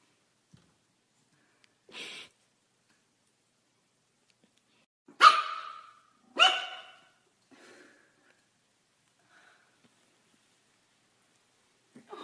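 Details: A pug puppy gives two sharp, high yapping barks between soft snuffles and quieter whines at his first encounter with his reflection in a mirror.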